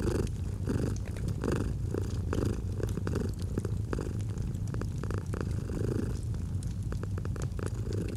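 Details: Domestic cat purring steadily as a low, continuous rumble, paired with a crackling fireplace that gives sharp pops and snaps throughout, in a cozy autumn relaxation setting.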